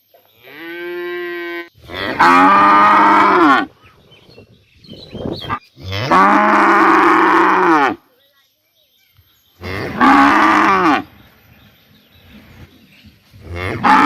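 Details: Morning in a village: a cow brought away for vaccination calls to another cow. Loud, rough, drawn-out moos come about every four seconds, four calls in all, with low rumbling between them.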